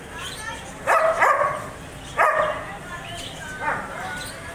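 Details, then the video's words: German Shepherd barking three times about a second and a half apart, the first two loud and rough, the last softer and shorter. "German Shepherd Barking Sound Effect"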